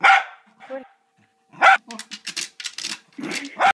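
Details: A Cocker Spaniel barks excitedly at a decorative fake cocker spaniel: sharp, loud barks spaced about two seconds apart, with a person talking between them.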